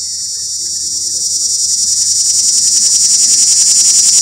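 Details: A cicada calling for a mate from up in a pear tree gives a loud, high, rasping buzz that pulses rapidly and steadily swells in volume.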